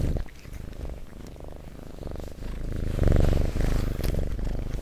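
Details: Low vibrating purr from a domestic cat recorded up close, starting softer and growing stronger after a few seconds, with rhythmic breath cycles and light rustling noises.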